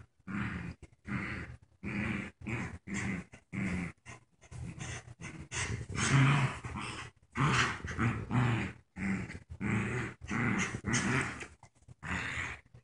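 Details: Two puppies playing tug of war indoors, one paralyzed and wearing a diaper; repeated short growling and grunting bursts, each about half a second to a second long, separated by brief silences.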